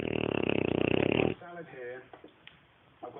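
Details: Rattling, fast-pulsed snore from Bert, a nearly six-month-old Neapolitan Mastiff dozing indoors during Jamie's 30 Minute Meals, holding strong for about a second before stopping; televised male speech follows.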